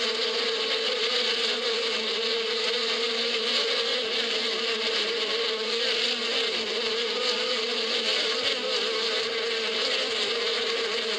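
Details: Springtime bees in the Arabian badia: a thick, constant droning buzz of many insects together, a steady hum beneath a broad airy hiss, unchanging from start to finish.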